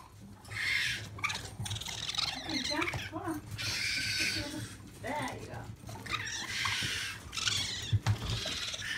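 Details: Orphaned young raccoons at a local sanctuary, calling excitedly before being fed. Repeated harsh, breathy chitters and whiny squeals come in clustered bursts, with some rustling and low background noise between them.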